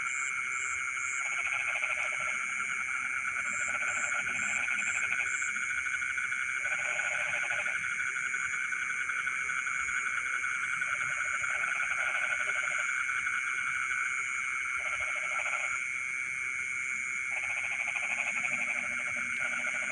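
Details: Frogs in midnight rice fields repeat brief, rattling croak bursts, roughly eight with irregular pauses, while a dense wall of insect shrilling runs steadily behind them.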